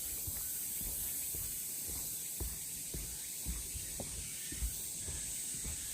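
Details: Summer cicada chorus on the Deogeumsan Solbaram-gil forest path, Namwon, Korea, 16 August 2019. A continuous shrill, hissy buzz sits high and even throughout, with scattered low knocks and rustles underneath.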